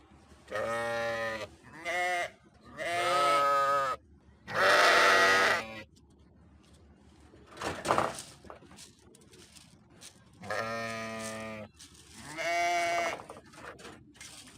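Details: Sheep giving a run of wavering bleats, four close together, then a brief lull with a faint noise before two more nasal, trembling cries.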